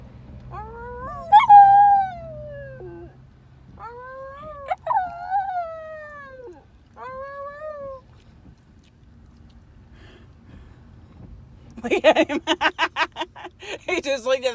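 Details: A dog answers a passing fire truck siren with three long, level howls that waver slightly and drop at their ends, separated by short pauses, followed by a burst of rapid, choppy yelping noise.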